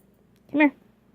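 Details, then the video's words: Shania the dog, in trouble for talking back, gives a single short tonal yelp-like bark on command to speak, rising slightly then falling, in a quiet room. "Shania dog gets in trouble for talking back"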